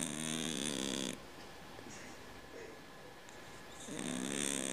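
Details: Cat snoring loudly like a man: two harsh, rattling snore breaths about three seconds apart, each lasting around a second, with faint quiet breathing in the gap.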